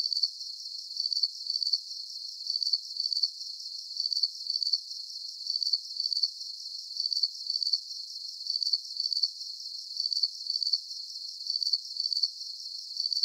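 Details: Chirping crickets in a deep-sleep nature soundscape: thin, high, rapidly pulsed chirps, often doubled, repeating in an unbroken, very regular rhythm; nothing else is heard.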